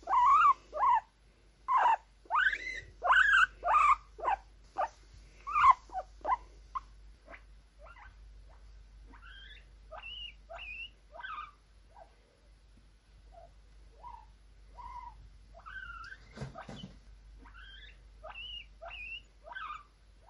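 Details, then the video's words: Cute, excited guinea pigs wheek: a fast opening volley of loud rising squeals, then softer, sparser upward-sliding whistles and short squeaks, spaced irregularly across the clip. "Exited Guinea Pig Sounds: Guinea Pig Noises"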